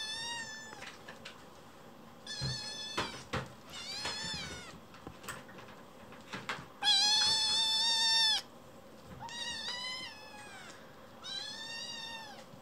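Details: Foster kitten, just awake, wailing loudly while wandering back and forth indoors; about six strong, wavering meows spaced a second or two apart, the loudest a long cry in the middle, with light knocks and shuffling between calls.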